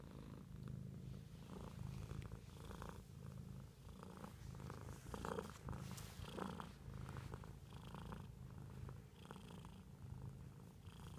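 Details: Pet cat purring steadily indoors, a low rumbling drone with soft pulses that swell and fade with each breath, plus scattered faint clicks and rustles.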